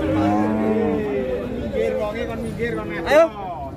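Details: Limousin cattle of Belgian type, a prize animal drawing a crowd, gives a drawn-out harmonic moo in the first second, followed by lower murmurs and a short rising cry near the end amid background voices and music.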